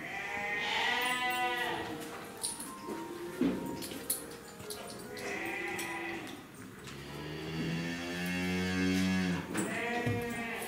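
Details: Jersey cattle calf at Nasu Rindoko Lake View in Tochigi, Japan, recorded 7 December 2018; long, loud, harmonic moos and bleating calls, some rising and some low and drawn out, repeated across the recording, with faint background noise.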